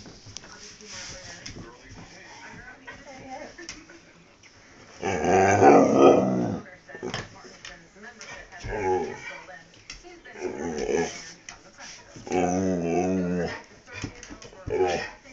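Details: Pet dog named Dust "talking": wavering, moaning harmonic vocal bursts about one to two seconds long, separated by quieter stretches with faint background voices.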